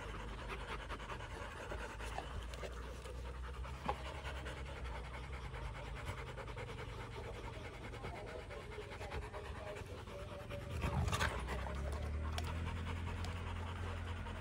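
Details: Rottweiler family panting after fighting, rapid steady breaths at about three to four per second, low and soft, with a brief louder shift near the end.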